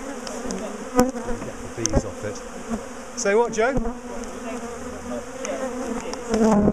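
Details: Aggressive honeybee colony being split and relocated from a top bar hive; a continuous low humming buzz, with individual bees' whining tones swooping up and down as they fly close, plus scattered taps of handling.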